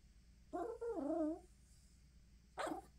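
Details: A female Yorkshire Terrier named Chloe cries at a bedside box of tissues she wants to chew: a wavering, falling whine of about one second, then a short sharp yelp near the end.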